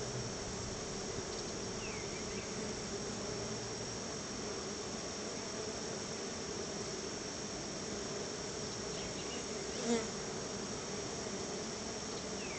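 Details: Honey bees swarming around their hive while being fed store-bought honey as a treat; many bees gather near the keeper. A dense, steady droning hum continues throughout, with one louder bee passing close near the tenth second.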